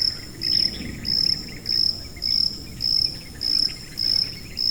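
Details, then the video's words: High-pitched cricket chirping in short, even bursts, each a bright sustained buzz lasting about a third of a second, repeating roughly every 0.6 seconds over a faint low rustling background. "고주파_귀뚜라미3 / High-Frequency_Cricket3"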